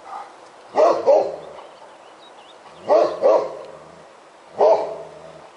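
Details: Great Pyrenees named Roxy keeping a black bear treed beside a house at night's commotion by the trash barrel; loud, deep double barks repeated roughly every two seconds, five barks in three bursts.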